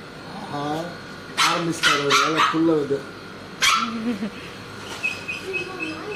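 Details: Labrador Retriever puppy crying in fear of an injection at vaccination: rising and falling whimpers and yelps in a short burst, then a pause and a few more thin whines, with a steady background hum indoors.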